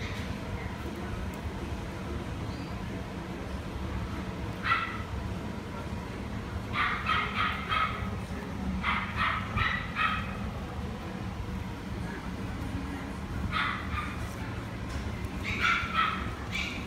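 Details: Female Papillon yapping in quick bursts of two to four high barks, with gaps of one to three seconds between bursts, over a constant broad background hiss and rumble.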